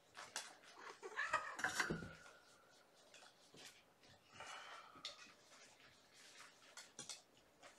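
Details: Five young Infinity Kittens with mother Gamora, winding down at bedtime indoors, May 2018; a thin, high mew rises and holds near two seconds, then a shorter one follows near five seconds, among soft thumps and shuffling.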